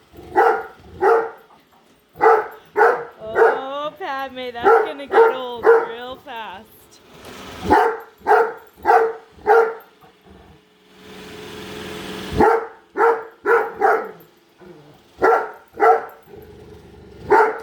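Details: A female Great Dane barks nonstop at a freshly unboxed robot vacuum indoors, with steady rhythmic barks, a stretch of wavering whining yelps in the middle, and a motor-like hiss from the machine.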